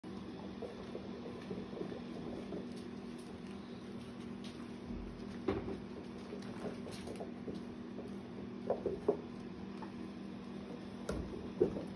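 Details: Quiet indoor room tone with a low steady hum, scattered soft knocks and rustles, and no clear animal voice.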